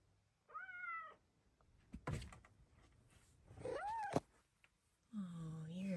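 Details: Female Bengal cat indoors chatting with her owner: a short harmonic chirp, then a rising-falling meow, and a longer low drawn-out meow near the end, with a thump and a woman's voice between calls.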